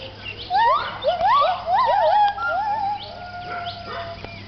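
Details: Gibbons at a Thai wildlife rescue centre give their dawn chorus at sunrise around 6am, loud, swooping whoops that rise and fall, several voices overlapping.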